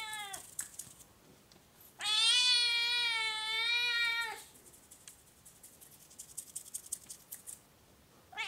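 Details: Oriental or Siamese cat giving one long, loud, drawn-out meow of about two seconds, steady and slightly wavering in pitch, with a short squeak just before it and another starting at the end; quiet room otherwise.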